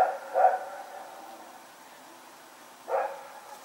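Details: At night on 21 September 2018, Rex the dog runs around and barks: one bark at the start, then a long pause, then a second sharp bark near the end. Quiet surroundings.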